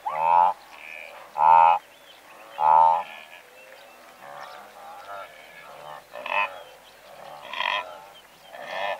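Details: Several hundred blue wildebeest in a herd: three loud, buzzy, nasal honks come about a second apart up front, followed by softer, scattered grunting honks from more distant animals.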